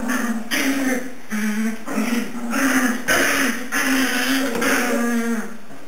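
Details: Three-and-a-half-week-old puppies at home in the morning, giving a steady run of short, low, harmonic whimpering calls about every half second, with overlapping squeaks and a constant faint high hum in the room.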